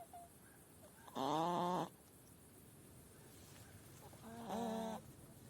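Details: Ailing female hedgehog at a rural farmhouse in northern Spain, with sounds first likened to a clucking hen; one strong harmonic, nasal call of under a second, then a softer, similar call about three seconds later.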